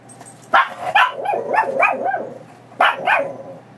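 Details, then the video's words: Pebbles, a Chihuahua mix foster dog recovering from knee surgery, excited before a walk: two sharp barks, then a run of wavering yodel-like whines, then two more sharp barks; a person speaks nearby. "dog goes nuts before walk and makes funny sounds"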